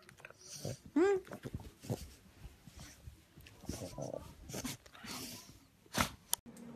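A Pekingese gives one short, rising-then-falling tonal yelp in an otherwise quiet room.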